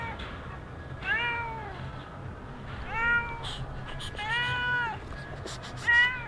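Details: Stray cat at Sharm el Sheikh, Egypt, giving four plaintive meows roughly every one to two seconds, each a rising-falling harmonic wail, the third longest, against low steady hum and occasional sharp ticks.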